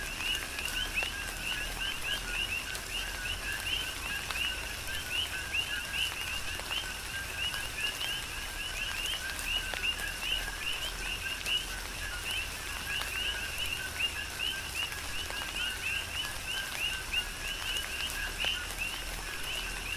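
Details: Dense chorus of coqui frogs on Hawaii's Big Island in tropical rain: many overlapping two-note calls blur into a continuous chirping band, with a constant hiss of rainfall and scattered drips.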